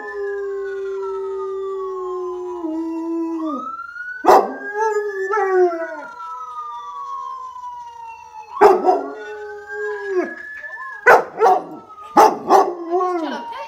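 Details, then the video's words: Local dog joining an ambulance siren with long wavering howls that slide downward and fade, overlapping the siren's sweeping rise and fall, with sudden loud thumps and clatters between phrases. "Local Dog believes that ambulance siren is a howl"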